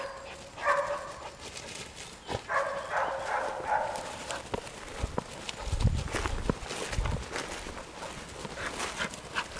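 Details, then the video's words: English springer spaniel barking outdoors, a few short harmonic barks and yelps early on, then scattered softer barks over steady rustling background noise and low thuds. "Springer Spaniel Inglese"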